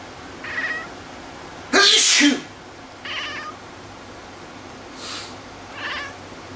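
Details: Cat reacting to its owner's sneeze: short meow, a loud sneeze, then a clear harmonic meow a second later, a breathy noise, and a final short meow.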